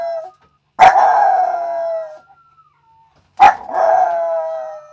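A Yorkshire Terrier howls in long, sustained tones that slowly fall and fade.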